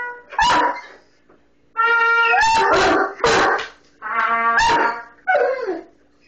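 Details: Mastiff howling along with a trumpet playing Over the Rainbow. Short wavering, yelping howls with falling glides break in between sustained brassy trumpet notes, in about five bursts.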